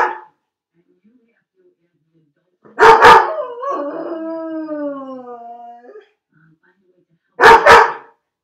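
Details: Crated and left home alone, the dog Felix fires off a quick double bark, slides into a long mournful howl that wavers and falls over about two and a half seconds, then repeats a double bark.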